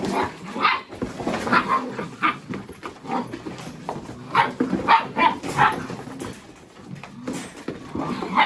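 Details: Mini Goldendoodle puppies playing with boxes, chasing each other and rolling around together. Short, high yips and play barks come in quick bursts throughout, sometimes several close together, over scuffling and rustling from the playing pups.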